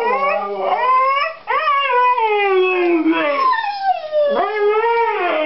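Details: Two Siberian Huskies howl and "talk" before a walk, as they do when someone goes into the bathroom, hoping to go out; long, sliding, wavering tones that rise and fall together.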